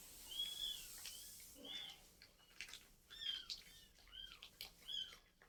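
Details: Domestic cats where a mother cat has moved her kittens to a new spot; thin, high, arching mews sound in short separate bursts, several across the stretch, over a faint hiss of background noise.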